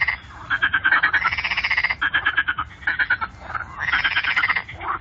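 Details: Chorus of frogs at Fasaneriesee, a lake: many animals croaking together in fast pulsed rattles, swelling and fading in bursts of one to two seconds, almost continuous.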